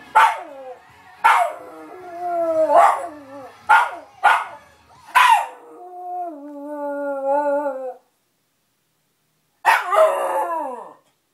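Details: Pet dog joining in with a television advert, giving several sharp rising howls and yelps between long held sung notes from the TV, then a pause and one final howl.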